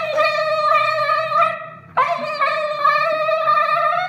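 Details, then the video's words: Siberian husky howling after anesthesia: long, sustained, tonal notes with a wavering pitch and rich overtones, broken by a short pause before a sharp restart that settles into another drawn-out, slightly rising howl, indoors. "Siberian husky singing after anesthesia"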